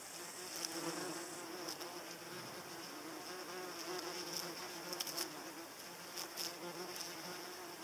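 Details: Paper wasp flying near hornets, which tolerate it; a steady low wing buzz with harmonics throughout, plus repeated short high ticks and rustling.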